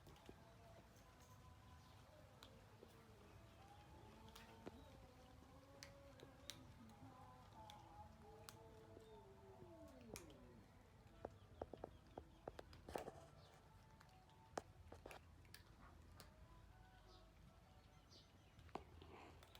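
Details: Many cats eating food, giving a run of overlapping wavering meows in the first half, some drawn out and sliding downward, followed by scattered sharp clicks and taps, likely from eating.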